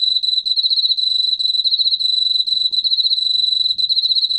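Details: Unbroken, shrill trill from an Emma field cricket, a 2020 National Institute of Biological Resources recording: fast, slightly throbbing pulses at a constant high pitch over a faint low background murmur.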